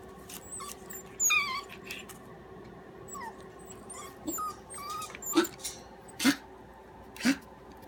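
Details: Keeshond puppies from a litter born January 29, with a breeder in Denver, Colorado: high thin whimpers and squeaks sliding downward, then several short low yelps spaced about a second apart, with rustling and handling noise indoors.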